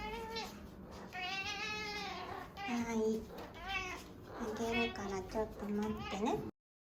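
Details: Loud, continuous meowing from a female domestic cat at feeding time: long, wavering, strongly harmonic cries running almost back to back, broken only by short pauses and a little background talk.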